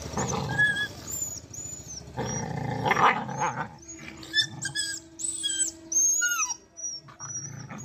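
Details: Dogs fighting on a road. Rough, low snarling growls run in bursts through the first half. Thinner, high sliding squeals and whines follow, with short gaps between them.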